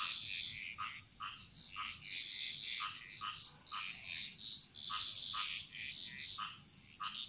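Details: Frog chorus in the jungles of Bali, a dense mix of quick chirping notes, several per second from many overlapping frogs, with high bright trills and a constant thin insect drone above.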